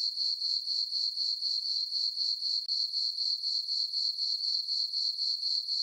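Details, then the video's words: Summer-night crickets in a meadow on a farm under a full moon, giving a shrill, continuous chirping that throbs about four times a second in an even rhythm, with nothing else audible. "Cricket chirping sounds for sleeping"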